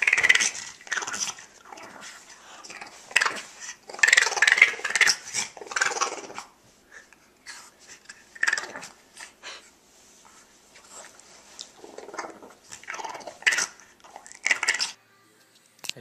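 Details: French Bulldog in a cranky mood, giving rough wheezy grumbles and growls in separate bursts with quiet gaps between them over about sixteen seconds.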